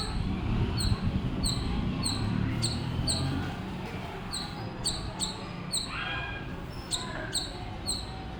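A squirrel gives sharp, high chirps, repeated quickly about twice a second over a low rumble.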